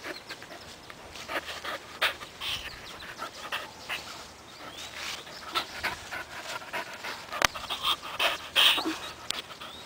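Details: A 4-month-old puppy named Buddy, self-taught at tumbling during a game of fetch, breathes in fast, hoarse pants of nearly three per second, broken by a few sharp clicks and louder huffs near the end.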